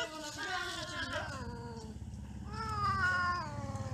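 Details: Domestic cats mating and quarrelling: long drawn-out wailing caterwauls with rich harmonics, rising then falling in pitch, one yowl fading before a louder second one swells from the middle, over a steady low hum.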